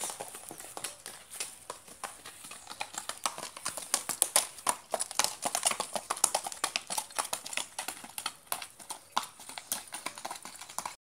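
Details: Branquinho, a Mangalarga Marchador horse, moving with rapid, steady clip-clop hoofbeats, several sharp knocks each second, sustained and evenly paced throughout, with faint background hiss.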